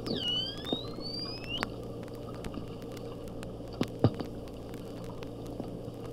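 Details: Slowed to half speed for echolocation study, a porpoise whistle opens with a clear tone that dips and then climbs steadily for over a second, followed by scattered faint clicks and a few sharp pops.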